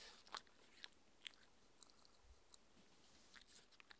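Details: Shetland Sheepdog named Mindy at her raw food dinner: sparse, sharp clicks and crunches from chewing, a few spaced bites over a quiet indoor background.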